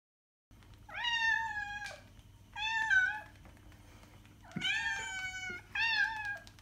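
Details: Domestic cat meowing to draw cats' attention: four loud, rich meows, each about a second long and steady in pitch, coming in two pairs with a brief gap between.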